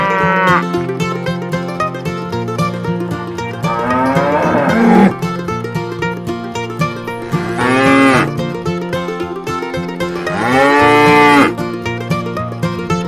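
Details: Tame cows roaming and grazing along a roadside on their way to the pen give three drawn-out, rising-and-falling moos over steady plucked-string music.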